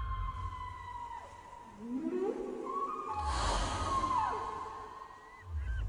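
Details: Whale underwater producing a falling whistle, then a rising moan and overlapping tonal cries with a broad noisy burst in the middle, over low rumbling background.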